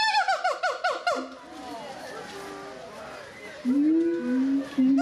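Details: Captive gibbons singing at the zoo in Doué-la-Fontaine, France, in 2010: a quick run of falling whistled notes, then a pause, then long rising hoots and sustained tones near the end.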